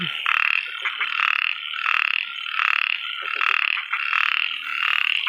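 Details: After rain in rice paddy fields in Isan, Thailand, a male small frog calls to attract a female. It gives rasping, high-pitched buzzy rattles in half-second bursts about once a second in a steady series, amid many other calling frogs.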